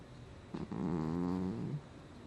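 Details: Cat Gnusmas snoring while asleep, recorded August 2020: a single long, low snore with a droning, slightly whistling tone lasting about a second, quiet before and after.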